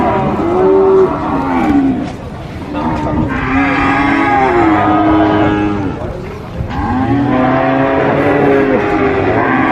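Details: Cattle at a market, sacrificial cows for Qurban, mooing in long harmonic calls, several overlapping lows rising and falling, about three moos across ten seconds with background crowd noise.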